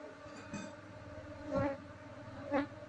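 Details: Asian honey bee colony (Apis cerana) during a move by caging the queen; even droning hum with two brief louder knocks from handling.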